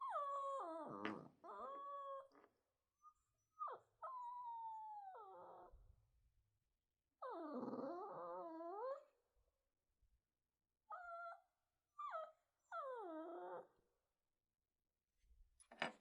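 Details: Shih Tzu. A Shih Tzu puppy gives a series of high, quavering whines, some rising then sliding down, others breaking into yelping whimpers. The bursts last a second or two each, with brief pauses between them.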